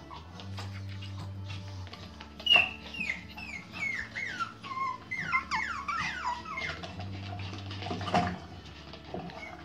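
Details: Merle Pomeranian puppies from the Arnolds Eiche kennel, giving high, squeaky whining whimpers. Many short curving and falling notes cluster in the middle of the stretch over a steady low hum.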